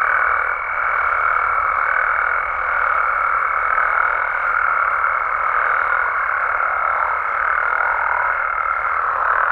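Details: Nighttime amphibian chorus from Mexican frogs and toads in natural surroundings: a constant throng of overlapping croaks under a long, level, higher-pitched tone that runs almost the whole stretch, then breaks off.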